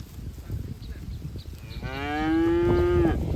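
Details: Cattle from a herd grazing in a green field, one cow giving a single long, steady moo that begins at about two seconds and swells louder before cutting off, after low rustling and trampling noise from the grazing herd.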